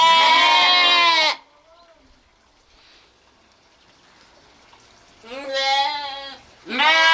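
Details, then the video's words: A long loud lamb or sheep bleat opens, followed by near silence with faint distant sounds, then two more quavering bleats close together at the end. "sounds of sheep , Sheep Sound , lamb noises"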